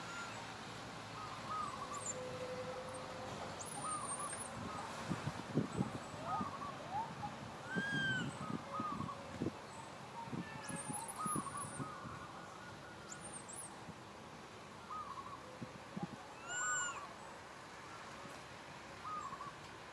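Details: Little monkey Santo crying sadly for his mother Sara and asking for milk: short arched whimpering coos repeated every second or two, over rustling and thumping handling noise, with faint high buzzing in the background.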